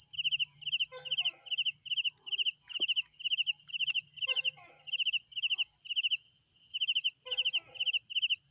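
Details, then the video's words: Crickets chirping at night in regular pulsed bursts about twice a second over a high steady insect drone, mixed with faint lower chattering and clucking calls from another animal. "Sounds of Night Crickets"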